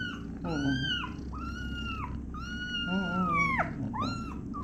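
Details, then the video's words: Kitten screaming after its mother cat accidentally sits on it: a run of five loud, harmonic cries that arc upward and slide sharply down, each under a second long, with a low steady hum underneath. "Mom Cat sit on her Kitten by accident, Kitten screaming"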